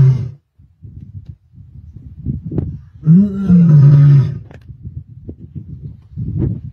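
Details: Lioness roaring in Sabi Sands, 23 May 2024: one deep, falling moan-like roar lasting about a second amid low rumbling and soft background noise, with quieter grunts around it.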